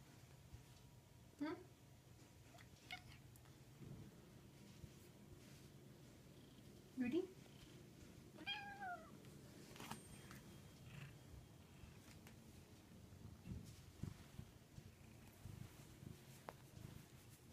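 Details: Indoor pet cat giving several short, faint meows, each a quick rising-then-falling whine, spaced a few seconds apart, with a person speaking quietly and some room rumble in between.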